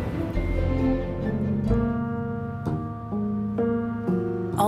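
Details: Plucked string music with sustained harmonic tones and soft speech underneath; no animal calls are heard.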